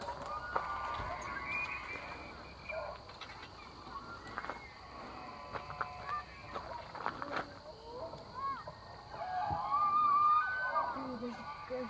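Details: Free-range bull elk in the September rut at the Elk Viewing Area, Charles M Russell National Wildlife Refuge, along the Missouri River in Montana, with hundreds gathered. Distant whistled calls build to a loud, high, wavering bugle near the end, over a steady high hum.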